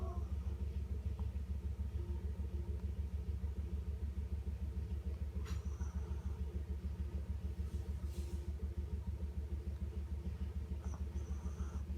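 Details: A steady, throbbing low rumble like an idling engine fills the recording, with a few faint clicks. No animal voice can be picked out.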